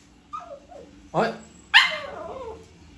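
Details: Toy poodle puppy indoors, agitated at seeing someone eat: a thin, falling whine, then two sharp, high yelping barks about half a second apart, with a woman talking in Filipino around it.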